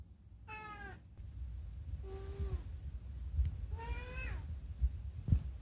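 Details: Nighttime chatter from Unagi, a rescued house cat: three clear, falling meows spaced about one and a half seconds apart, the first and last bright and full, with a few soft knocks indoors.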